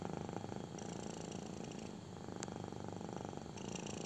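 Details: Kitten purring through a belly rub, a close, constant low buzz with a faint click at mid-clip and light rustling near the end.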